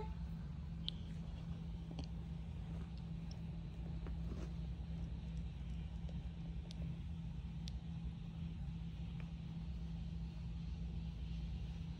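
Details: Only a low, steady hum and a few faint scattered clicks are heard in a quiet indoor space, with no animal calls.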